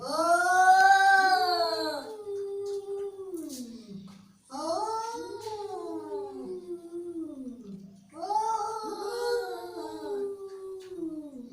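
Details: Angry domestic cat giving three long, drawn-out yowls, each about three and a half seconds long. Each one starts high and strained, then wavers and slides downward, with short quiet gaps between them.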